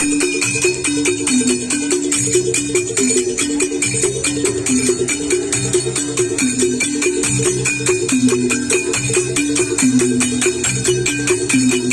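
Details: Loud, steady electronic dance music with a pounding beat, bright jingling percussion and a repeating synthesized melody, with no animal voices.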